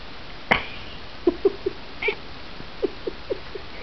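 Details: A female half-Siamese cat gives a run of short, soft, chirping meows while talking back to her owner.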